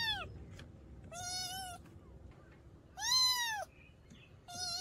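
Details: A kitten from a mountain village meows, the sound used to repel countryside rats; four bright, strongly harmonic meows, two short and two longer and arched, over a quiet low background.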